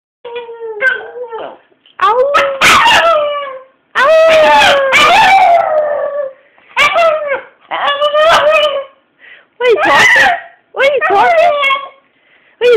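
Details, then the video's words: Pet Chihuahua 'singing', giving drawn-out wavering howls with rich overtones, some gliding down at the ends, in bursts of about one to two seconds separated by short pauses. Sharp applause-like claps and a person's voice are mixed in. "frankie sinatra the singing chihuahua"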